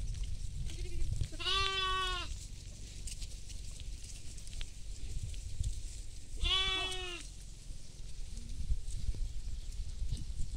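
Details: Goat feeding in a field alongside sheep, giving two loud, rich, wavering bleats about five seconds apart, with a soft short grunt before each and low wind rumble throughout.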